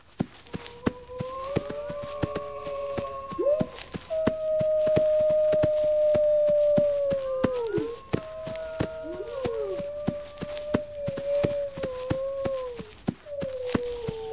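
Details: A wolf pack howling, calling members together to ready defenses: overlapping drawn-out tones, one long level howl held several seconds, others bending down at their ends, while steady ticking clicks run underneath.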